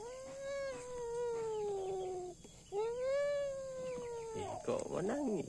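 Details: Kitten crying indoors after a fight with a rat: two long, loud, slightly falling meows, each about two seconds, followed by a shorter wavering squeal and faint human talk.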